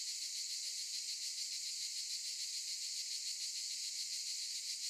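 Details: Olive-tree cicadas buzzing, a continuous intense high sizzle with rapid rhythmic throbbing, steady from start to finish.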